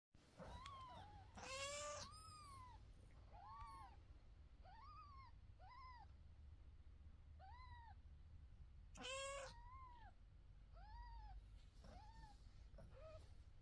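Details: Mother cat with her kittens, meowing: a steady run of short arched calls that rise then fall, roughly one per second, with louder harsh broadband squeals near the start and again later, over a low constant hum.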